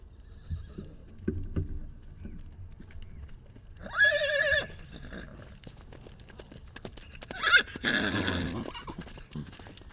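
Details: Salt River wild horses in Arizona, a foal apart from his mother: two short quavering whinnies about four seconds apart, the second rougher and lower, amid scattered clicks and soft background noise, taken with a long-range microphone.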